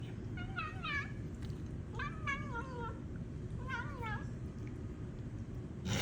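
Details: Cat giving weird noises: three drawn-out, wavering, warbling meow-like cries about a second apart, each bending up and down in pitch, over a steady low background hum, with a sharp knock at the end.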